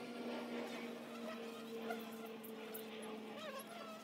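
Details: Low, even droning of honey bees at a hive entrance, several overlapping hums holding near one pitch, with brief high chirps and twittering notes near the end.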